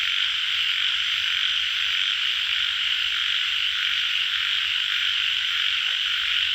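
Indian bullfrogs calling in a dense, unbroken chorus of high, rasping trills.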